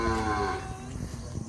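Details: Hallikar cow from Karnataka, daughter of Malavalli Krishna, on a journey from home to Tamil Nadu; a low, richly harmonic moo that fades within about half a second, leaving a steady low rumble behind.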